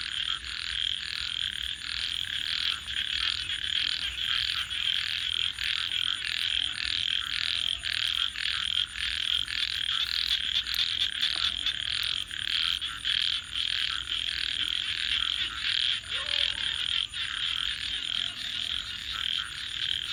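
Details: Frogs calling at night: a dense, steady chorus of rapid buzzy pulses with a constant high hiss, plus a few faint lower tonal notes around mid-clip.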